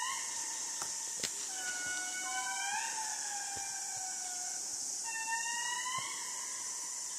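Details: Indris, the largest lemurs, calling in Madagascar. They give long wailing harmonic tones that swell, hold and then slide downward. Several voices overlap at different pitches over a steady high hiss of insects.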